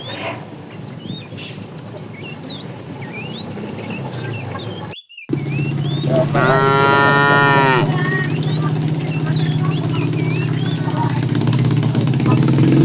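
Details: Tame cows roaming a road looking for food; one long harmonic moo midway, with chirping birds throughout and a steady low rumble beneath.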